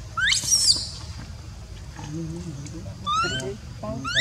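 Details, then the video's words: Baby monkey crying when its mother will not care for it: shrill, steeply rising squeals, one near the start and more after three seconds, between a lower wavering moan, over steady background rumble. "Poor baby monkey cries when Mom Monkey does not want to take care."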